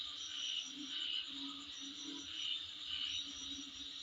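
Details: Outside a residence, insects keep up a continuous shrill buzz. Clear piping pulses rise above it only every couple of seconds, and a soft lower hum sits underneath.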